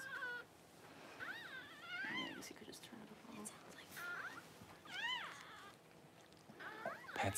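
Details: Newborn Cavalier King Charles Spaniel puppies just whelped by their mother Paris, January 1: high, arched, harmonic squeals rising and falling, in bursts about every two seconds, with quiet human voices underneath.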